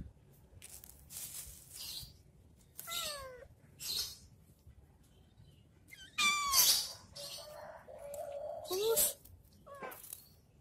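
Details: A cat playing with a stick gives several short meows, each with a downward sweep, repeated irregularly with quiet gaps between them, plus some light rustling.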